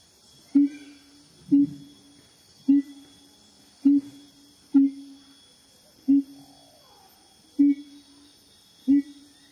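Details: A siamang (Symphalangus syndactylus) gives short, low, resonant booming hoots, repeated roughly every second, with music and laughter in the background.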